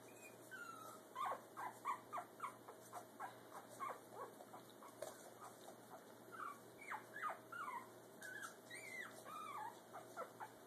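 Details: Brussels Griffon puppy trying to walk for the first time as its parents look on. Short, high, squeaky whimpers, some rising and falling, repeat about once a second, with faint clicks and a steady background hum.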